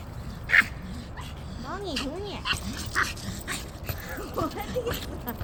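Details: Puppies playing with a ball give short rising-and-falling whines and yips, a quick run of arched cries in the middle, over human voices and scattered thumps.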